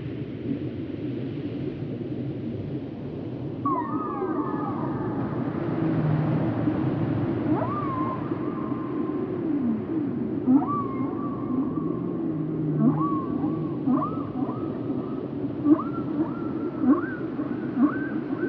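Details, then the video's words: Whale calls presented for sleep and relaxation: a long sequence of short tonal upsweeps and level moans, coming faster toward the end, over a dense low underwater rumble. "Relaxing and mesmerizing whale sounds"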